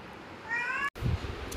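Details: A domestic cat gives a short, tonal meow that rises slightly while a person scolds it for angrily hitting another household pet, Neel, followed by the person's voice.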